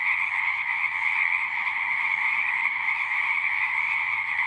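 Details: Frogs singing en masse, a steady, dense trilling chorus with no pauses, strongest in a high band and echoed by a lower one, level constant, faint low rumbling underneath.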